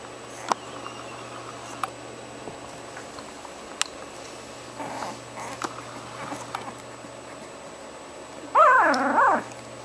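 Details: Six-day-old orphan puppies, four of them together at a vet after their mother died: mostly quiet with soft rustles and a steady hum, then one short, high, wavering whining cry near the end.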